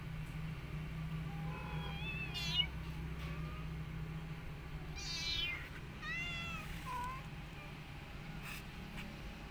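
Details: Rescued mother cat tending an adopted kitten and her own litter; several high, quavering, harmonic-rich mews come in short bursts, some rising then falling, with a few soft thin calls between and constant low background hum.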